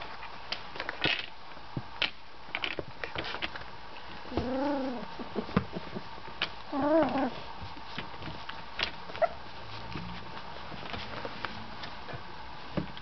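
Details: Golden Retriever puppies 18 days old, eyes and ears just open and toddling around, give two arched, wavering whines amid soft shuffling and clicks, one seemingly wanting people close; finding: Golden Retriever puppy.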